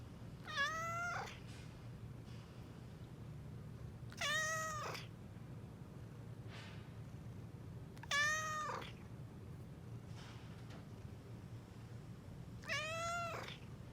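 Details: Somali or Bengal cat meowing repeatedly indoors: four short, similar meows roughly every four seconds, each starting high and bending slightly down, with quiet pauses and a constant low background hum between them.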